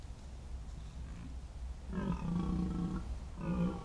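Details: Red deer during the 2023 rut, caught by a wildlife trail camera in a year when fewer stags than usual came to the rutting ground. A low rumbling background gives way to a drawn-out, harmonic roar lasting about a second, then a shorter roar.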